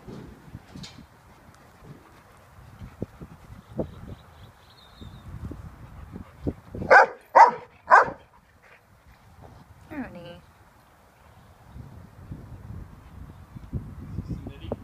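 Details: Franklin, a nine-week-old Labradoodle puppy outdoors, gives three sharp barks in quick succession midway, then a shorter harmonic yelp a couple of seconds later, over soft rustling, footsteps and a person's voice calling names.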